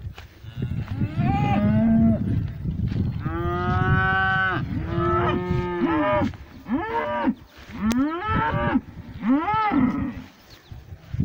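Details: Cows in a pasture moo loudly, long drawn-out lowing calls that rise and fall, several overlapping, as a black cow comes closer to the camera to sniff.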